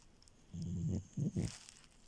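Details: A French Bulldog called Milo, sleeping in bed, lets out a deep, throaty snore followed by two quick snorting puffs, all low and gravelly against a quiet background.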